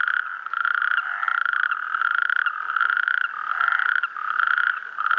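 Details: Natterjack toads sing at Clot d'Espolla, Pla de l'Estany, on 8 March 2013, in a mixed chorus with Mediterranean tree frogs. A dense, unbroken, rattling trill holds a steady mid pitch. Brief rising calls from other frogs come through over the trill.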